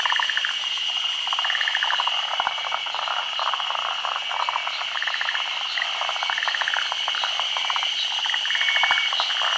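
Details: Midday spawning of Japan's endemic forest green tree frog in the rainy season, above still water. Dense, overlapping rattling pulse trains from several frogs run continuously under a constant high-pitched background drone.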